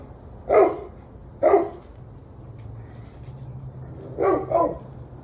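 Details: Barking dog recorded on 11/21/23 at 7:06 pm: two single barks about a second apart, a pause, then a quick double bark, over a steady low hum.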